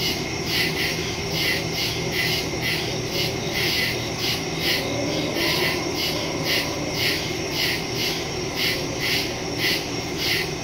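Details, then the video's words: Crickets in woodland at night, recorded September 2, 2023 on a phone with a stereo microphone: a dense high chorus of rapid pulsed chirps, several insects overlapping in steady beats, with a faint low hum beneath. "Crickets in the woods at night"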